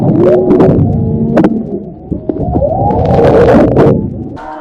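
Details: Humpback whale song heard underwater while snorkeling off Maui, Hawaii, in whale season: drawn-out tonal moans with rising and falling sweeps over a deep rumble.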